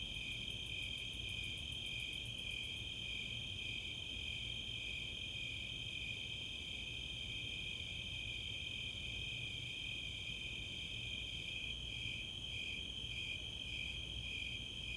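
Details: Tree cricket chorus, Snowy and Four-spotted Tree Crickets, on a summer night at Chautauqua, Boulder, Colorado; a quick run of very high Greater Angle-wing Katydid ticks opens, over the unbroken high pulsing trill.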